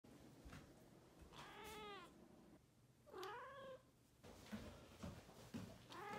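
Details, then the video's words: Balinese cat calling indoors: drawn-out harmonic meows that rise then fall, one near the start of the second second and another around three seconds, followed by shorter chirping calls with a steady low hum beneath. "Balinese cat voice"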